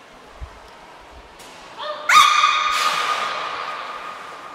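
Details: At Port of Nagoya Public Aquarium, Japan, beluga Niko vocalises during training on 25 February 2024: a soft short tone, then rising notes building into a loud, sustained, harmonic-rich call that gradually trails off.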